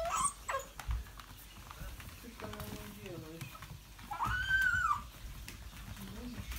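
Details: English Springer Spaniel indoors, recorded 05.02.17, giving a high whimper that rises and then falls, with a shorter whine near the start, over soft scuffling and a person talking in a small room.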